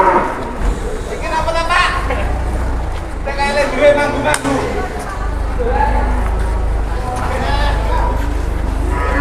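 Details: Cattle newly delivered by two trucks in Indonesia, among them an unusually large one; several short, muffled lows come at irregular intervals through constant engine noise and people talking.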